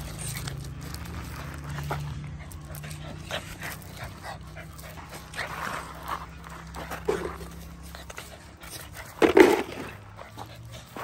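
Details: Boxer puppy, bought for guarding and trained, breathing in soft, steady pants throughout, with one short, higher whimper near the end over a constant low background hum.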